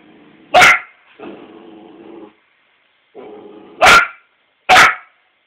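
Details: Four-month-old Australian Shepherd puppy Emma barks at her own reflection in a mirror, giving three sharp, high barks separated by low, muffled human speech, the last two barks coming close together.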